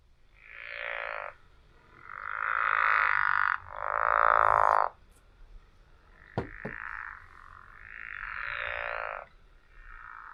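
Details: A pickerel frog gives a series of low, rasping snores, each about a second long, almost like someone snoring.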